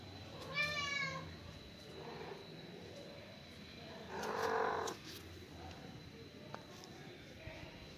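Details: Mother cat calling her only kitten, a son, after killing a huge rat; one drawn-out harmonic meow near the start, then softer broad murmurs around four seconds, over steady background hiss and a faint tone.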